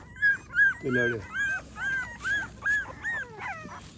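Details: American Pit Bull Terrier puppies in their morning routine whine in a steady series of high, bowed whimpers, nearly three per second, with a brief low human voice near the start.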